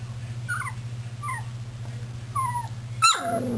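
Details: Puppies milling about, recorded on 24 February 2010: a few short whimpers slurring downward, spaced about a second apart, then a sharp louder yelp near the end over a steady low hum.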